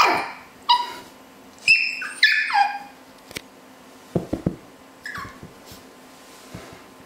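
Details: Male Havanese puppies give short, high, falling whines and yips in bursts with gaps between, then a few soft knocks and one last thin whine indoors.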